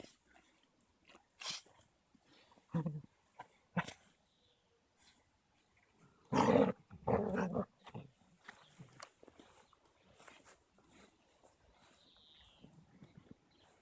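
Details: Two Caucasian Shepherds, Amy, a 3-month-old female, and Balu, a 21-month-old male, roughhousing in play on 13.02.16; scattered low growls and snarls, with a loud cluster near the middle, over a faint background.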